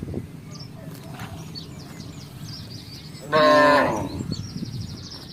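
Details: Village cattle in a herd crossing a housing estate in search of grass and water; one loud, harmonic moo lasting under a second near the end, over a low rumble of background noise and faint bird chirps.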